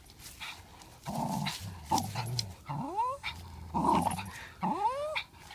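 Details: Parson Russell Terrier tussling with a Swiss mountain dog over a ball; deep continuous growls broken by sharp upward-sliding whines and yelps, about one burst per second.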